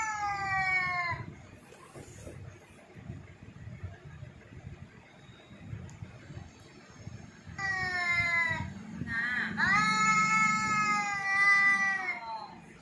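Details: Jaggu the cat yowls in scattered bursts: one short wail at the start, a long quiet stretch with faint background noise, then two more drawn-out, slightly falling cries near the end.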